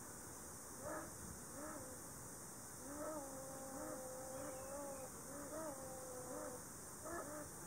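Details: Ezo sable calling from a tree hollow in a Shiretoko forest on 26 July 2018, one of two, seemingly a breeding pair disturbed by the observer: drawn-out, steady whining tones lasting over a second each, with short yelps between, faint.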